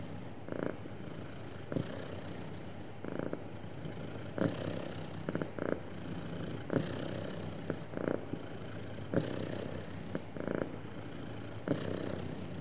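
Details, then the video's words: A happy pet cat's smooth purr, low and even, with regular swelling breaths roughly every one and a half seconds and faint sharp ticks scattered through the steady rumble. "Happy Cat Purring Smoothly"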